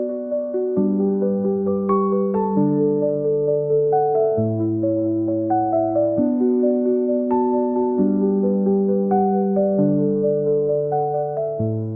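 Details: Gentle electric piano melody playing steadily throughout, with no animal sound present.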